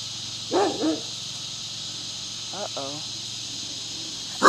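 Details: Scottish Terrier playing and barking at a neighbour's dog: two short harmonic barks near the start, a fainter yelping pair midway and an abrupt bark at the end, over a steady high buzzing of cicadas in the trees.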